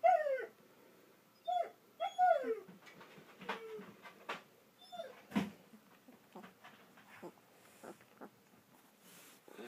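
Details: Two-week-old German Shepherd puppies in Florida, from the Vom Barron's Pride litter, give several short, high whimpers that slide downward in the first five seconds, then fade to soft rustling and faint squeaks.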